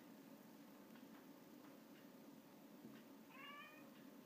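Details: A Russian Blue cat watching a fly gives a brief, high chirping call after a few soft clicking sounds, and finally catches the fly.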